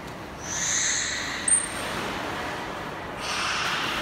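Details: Beluga at Port of Nagoya Public Aquarium, Japan, recorded during training on 4 February 2017: a brief high, level tonal whistle with stacked harmonics, then a thin sharp whistle note and a hissing, echoing background.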